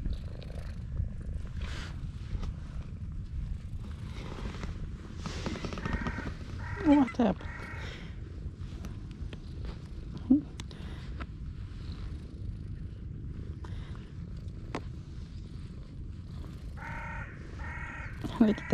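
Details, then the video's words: Loud purring from a stray female cat as she is petted, a continuous low rumble throughout, broken by a few brief spoken words and small clicks. "A stray cat with silent meows but loud purrs"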